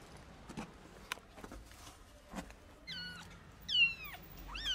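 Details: Rescued stray kitten, about 45 days old, unable to walk yet and with eye problems, gives three thin, high, falling meows in the second half. Soft knocks and handling noises come first, over low background hiss.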